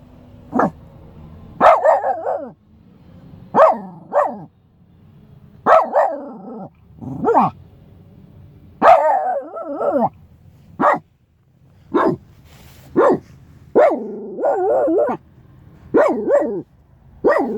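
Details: A Shiba Inu barks in sharp, repeated bursts, some with a rough, drawn-out edge, unhappy with a stranger walking too close to the car.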